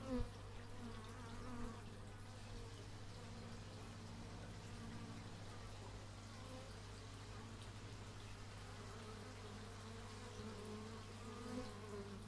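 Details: Bees recorded in stereo with an x/y microphone outdoors, giving a steady low droning buzz that holds on without break, with faint wavering higher tones drifting above it and a few soft knocks near the start.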